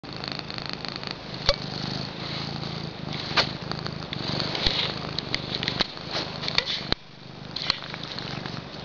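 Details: Pet female cat purring while being cute, a low rumbling pulsed purr steady through the clip, with handling clicks and rustles from close by.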